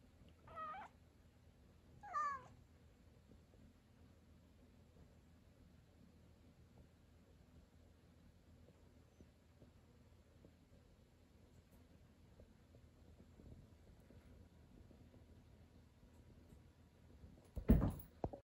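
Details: Angry cat meowing at the ceiling indoors: two short harmonic meows in the first seconds, then a long quiet stretch of room hum, ending in a loud rustling thump.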